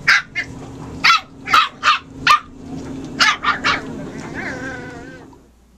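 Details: A puppy at play lets out bursts of short, high, sharp yips in two quick groups, then a drawn-out wavering whine before fading to quiet.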